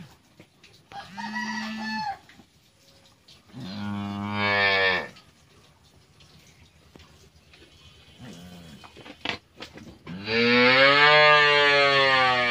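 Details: Friesian heifer calf, twelve months old, raised on a dairy farm, giving several loud, harmonic moos: a short call, a longer one, a faint low one, then a long drawn-out final moo, with little background noise.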